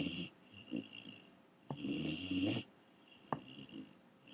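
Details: A Great Dane puppy snores in rough, rumbling breaths, each lasting about a second.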